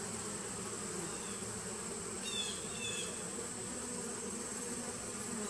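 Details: Steady buzzing drone from bees housed in a nuc hive from 2017, recorded on 19 September 2018; the low hum holds evenly while a quick pair of high chirps cuts in at mid-clip.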